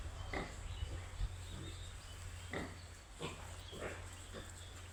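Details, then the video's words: Piglets kept on a pig farm give short clipped grunts and occasional squeaks, spaced unevenly about a second apart, against a steady low droning hum. "BABY PIG"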